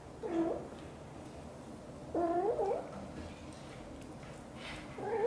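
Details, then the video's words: British Shorthair mother cat Xaxa, blue golden, talking nonstop while grooming her tiny kitten Piano indoors; three short, wavering meows with rising and falling pitch, at the start, around two seconds and at the end, over quiet room hiss. "Mother cat is talking nonstop and grooming her tiny kitten"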